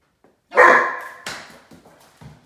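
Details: A talkative Great Dane puppy pestering the household cats, one of which growls at him, gives a loud, harmonic bark that fades into softer vocal grumbles.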